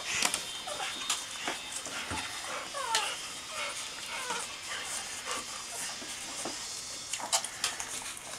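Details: Kerry's puppies, 19 days old and just starting to walk, nursing; a few faint, high squeaky whimpers curving up and down near the third second, over steady wet suckling clicks and soft rustling.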